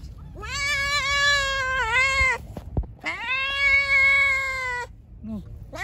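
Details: Hungry pregnant stray cat, described as angry, meowing while being fed; two long drawn-out harmonic meows of about two seconds each, steady then falling at the end, with a brief start of a third, over low background rumble.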